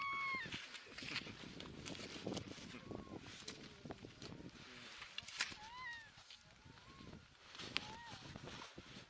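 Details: A harp seal pup on the Magdalen Islands, Canada, on 29 February 2020, gives short, nasal, cat-like wails that rise and fall; other pups cry faintly around it.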